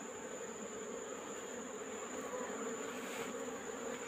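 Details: Many Asian honey bees (Apis cerana) humming as their wild colony is taken from a rock cavity in the afternoon; dense, unbroken two-toned drone, fairly loud and steady throughout.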